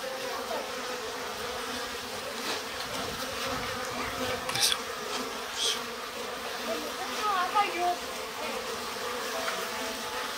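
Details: Japanese honey bees humming at an opened stacked-box hive in spring, shortly before swarming; continuous buzzing drone with a steady low tone, a few knocks and passing higher-pitched wingbeat whines.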